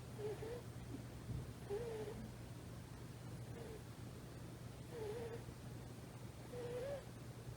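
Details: Female rescue kitten of about three months, fast asleep hugging a thigh, gives soft nasal snores: thin wavering whistles repeating about every one and a half seconds, very quiet, with a constant low hum behind.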